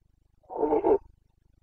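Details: One brief, hoarse, growling roar lasting about half a second from a Carpathian red deer stag in rut in Romania's Bucovina forests, late September 2022, with faint low rumbling around it.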